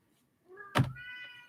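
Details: Pet cat meowing in the background of a home live show; a single drawn-out harmonic meow following a sharp thunk, with a quiet room behind.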